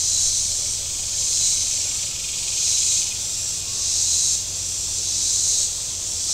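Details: Cicadas calling from the shore of Table Rock Lake in southern Missouri on a very warm Saturday: a dense, hissing high drone that swells and fades in regular waves roughly every 1.3 seconds, with a low hum of boat engines beneath.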